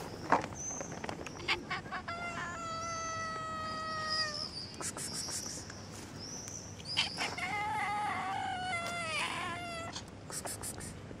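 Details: Kitten meowing in a series of clear, tonal, harmonic-rich cries, each held about a second and some gently wavering, with short gaps between them, over a steady background hiss with sharp clicks and brief high whistles.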